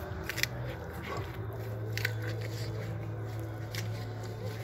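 A wild boar crunches and chews noisily on an apple over a steady low hum.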